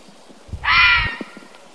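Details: Fisher, also called fisher cat, giving one harsh, raspy, scream-like call lasting about half a second, with a rough buzzy tone and a faint low rumble underneath, followed by quiet background with a few soft clicks.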